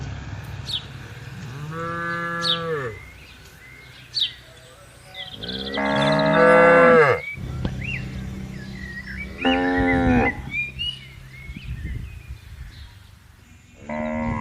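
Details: Cows roaming freely while herded through a vast palm oil plantation. Four long, harmonic moos, each rising and then falling, come every few seconds, with quieter gaps between them. Scattered bird chirps sound overhead.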